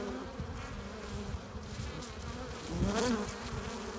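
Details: Honey bees hum steadily at a hive entrance, carrying in nectar and pollen; near the end one bee flies close, its drone briefly swelling louder and bending upward in pitch before fading.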